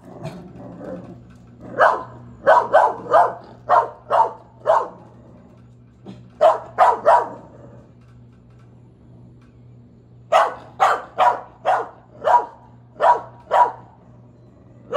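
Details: Corgi in the United States playing roughly with a rubber duck, giving short sharp barks in quick bursts of three to six, with pauses between the groups and a steady low hum underneath.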